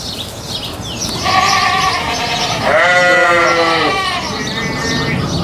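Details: Farm goat bleating: a short nasal cry, then a longer, louder quavering bleat that bends downward, over steady background hiss.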